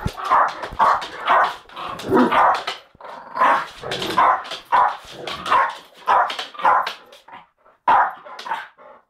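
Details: Pet Jack Russell terrier fighting a pet Bull Mastiff: rapid, rough barks and snarling growls in dense overlapping bursts, roughly every half second, with brief pauses between flurries.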